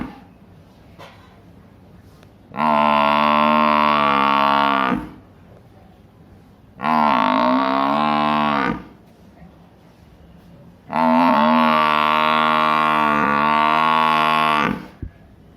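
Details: Three drawn-out, droning bellows from a big village buffalo, each two to four seconds long and separated by brief lulls of low background noise.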